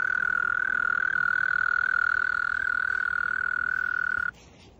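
A mole cricket sings a steady, low-pitched churring trill that runs unbroken, then abruptly stops.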